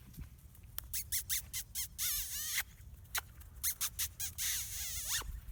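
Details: Black British Labrador Retriever puppies at five weeks old, from a litter of six born January 17, 2017, give a rapid series of high, thin squeaks and squeals, some arching up and down, separated by short pauses.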